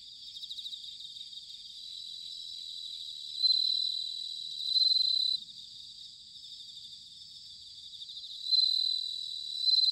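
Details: Autumn bell cricket song captured in Sanuki, Chiba Prefecture, Japan: a steady high insect chorus broken by loud ringing, bell-like bursts lasting about a second, repeating roughly every two to three seconds.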